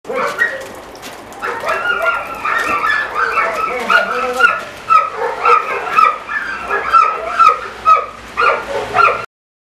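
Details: German Shorthaired Pointer (kurzhaar) during retrieving work carrying a fox over a hurdle; high, tonal whining yelps repeat about twice a second in a steady run, with a man's praising voice calling bravo alongside.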